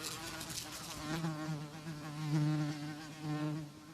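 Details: Housefly buzzing: a steady, low droning hum with a wavering pitch that swells louder and fades as the insect moves, with rich overtones above the main tone.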